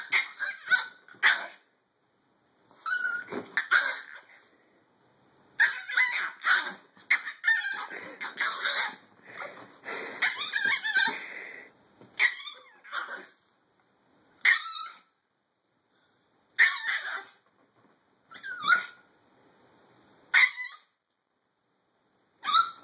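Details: A Chihuahua barks persistently: rapid clusters of shrill yaps run together at first, then break into single sharp barks spaced a second or two apart.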